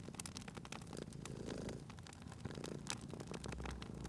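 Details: Quieter cat purr near a crackling fireplace, a low rumble with gentle swells partly masked by dense pops and crackles of burning wood.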